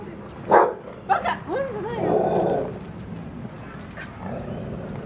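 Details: An English Springer Spaniel barking at cows gives a few sharp, harsh barks, followed by a wavering, tonal vocal sound.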